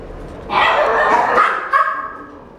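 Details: A female black-and-tan Cavalier King Charles Spaniel puppy, born January 2017, gives one drawn-out, harmonic bark-whine of about a second, then a shorter yelp, both fairly high and nasal, indoors with little background noise.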